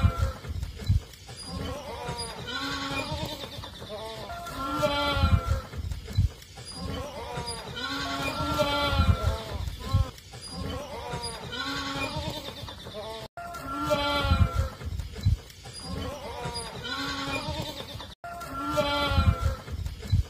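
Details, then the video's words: Baby goats with long ears drinking milk in a village, bleating repeatedly in wavering, nasal cries that rise and fall, several overlapping, with rustling and handling noise underneath. "Cute baby goats with long ears drinking milk"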